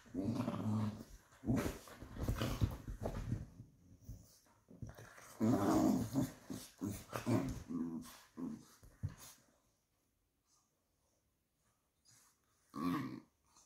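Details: Pair of Patterdale fell terriers playing rough indoors; choppy growls and snarls in quick irregular bursts with scuffling and clicks, then near silence before one last short growl.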